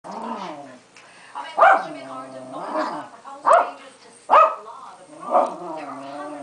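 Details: Pancake, a female Keeshond, throwing a hissy fit: wavering, moaning harmonic whines broken by about five sharp, loud yelping barks spaced roughly a second apart.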